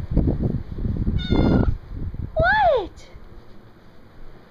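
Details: Male pet dog indoors, filmed June 7, 2012, whining for attention even after being given plenty of love. A single high, arched whine rises and falls, preceded by a shorter tonal squeak, with household rustling and a brief spoken remark.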